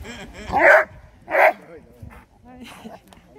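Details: Two Labrador Retrievers, Max and Raja, recorded on 23 May 2020: two loud, short barks in quick succession, then quieter human voices speaking Dutch and soft background rustling.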